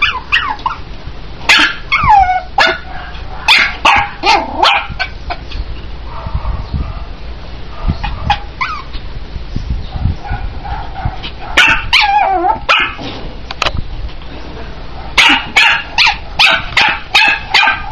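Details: Young Chihuahua giving bursts of shrill yapping barks, some with a falling whine-like tail, separated by quieter pauses, with a steady low hum underneath throughout.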